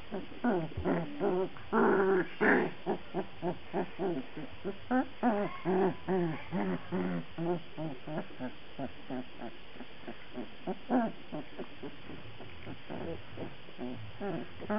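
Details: Black Labrador Retriever puppies at a breeder's kennel whimpering and yelping: a steady stream of short, tonal, slightly wavering cries, about two per second, at irregular intervals, some louder and higher, with grunts mixed in.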